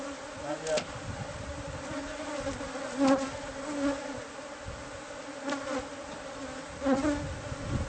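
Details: Bees from a hive hidden inside the walls of a newly bought house, being removed by pest control. A steady low droning hum with a higher overtone runs throughout, broken by a few sharp taps and brief louder swells.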